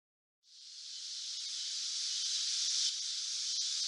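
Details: Cicada in summer: after a half-second of silence a high, hissing buzz swells in and holds as a steady, unbroken drone for the remaining seconds.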